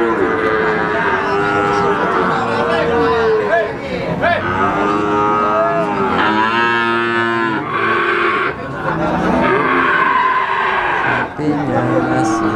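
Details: Young Simmental, Limousin and Pegon calves, about three months old and up for sale, low clearly pitched moos rising then falling, repeated many times by several animals, with brief pauses and a busy noisy background.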